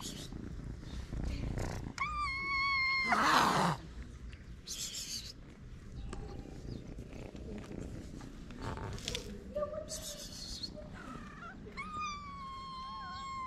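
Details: Hungry homeless street cats, feral and out in the cold, meowing: a clear drawn-out meow with a steady tone, then later two more long meows, one wavering and falling at the end, over rough outdoor rumble and a brief loud noise burst.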